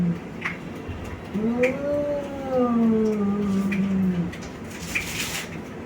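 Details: Male domestic cats, brothers from Bangladesh, fighting: one gives a long, wavering, drawn-out yowl that rises then slowly falls.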